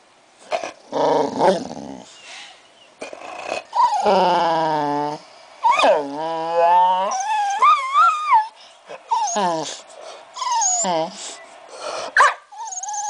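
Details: American bulldog "talking" in response to Christmas music: a run of drawn-out, wavering moans and whines that rise and fall in pitch, some long and warbling, others short yelps, with brief pauses between bursts.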